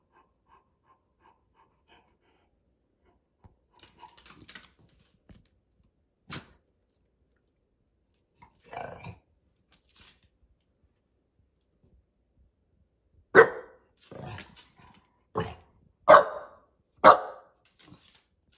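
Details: Bulldog barking while being ignored; quiet scattered clicks and small indoor noises fill the first half, then a run of five loud, short, harsh barks bursts out between about 13 and 18 seconds.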